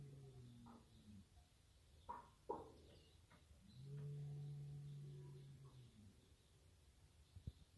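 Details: Berrenda en Colorado cattle, a herd of tame cows and their stud bull of fighting-cattle stock, give a single drawn-out low moo of nearly two seconds, preceded by scattered clicks and knocks.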